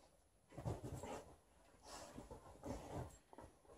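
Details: Liza, a female Alaskan Malamute in her shedding period, play-fights her old fish toy indoors while her aunt visits; low rough growling swells twice in a small room, with faint voices in the background.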